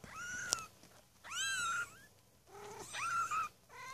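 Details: A litter of six Maine Coon kittens born 8 May 2015 at a cattery mew in high, thin, rising-then-falling cries, several calls overlapping.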